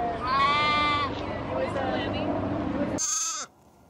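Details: Lamb bleating: a loud, wavering, harmonic bleat of about one second, then people talking, then a second shorter, higher bleat that ends abruptly.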